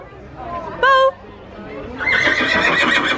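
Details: Mare whinnying in reply as her owner calls her at an animal event in Hilvarenbeek: a short, loud, quavering whinny lasting about a quarter second. Speech, crowd chatter and busy background noise follow.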